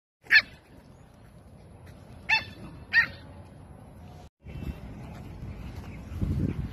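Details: Pet Samoyeds during playtime: three sharp, loud barks, the first alone and two more close together about a second and a half later, followed by steady low rustling and handling noise.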